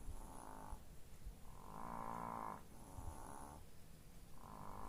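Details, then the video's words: Snoring from sleeping chihuahuas, slow rasping breaths about one second long, rising and falling in a steady in-and-out pattern, one longer louder snore in the middle, quiet room otherwise. "Snoring chihuahuas"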